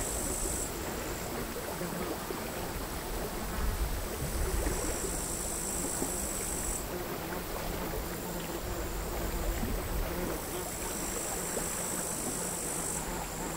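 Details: Crickets singing on a sand hill by the sea at Altja, Estonia, in August 2022, captured with LOM Uši Pro microphones and a MixPre recorder: a high, shrill, steady trill that breaks off and resumes, over quiet, chaotic sea-wave wash.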